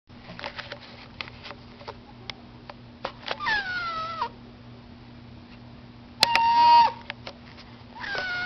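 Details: Domestic cats wanting to go outside, meowing indoors: several drawn-out harmonic meows that rise then fall, one loud wavering meow near the end, with soft clicks and a steady low electrical hum.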